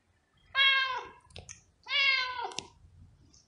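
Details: Two loud, drawn-out meows from a domestic cat, each bright and richly harmonic and sliding gently downward, about one and a half seconds apart, followed by faint clicks and soft room noise.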